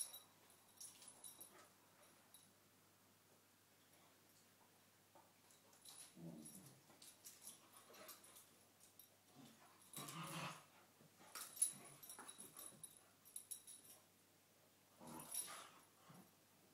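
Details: Two cocker spaniels play fighting in the morning; quiet low rumbling growls and scuffling bursts come in short clusters around the middle and end, with soft higher rustles between them and long near-silent stretches.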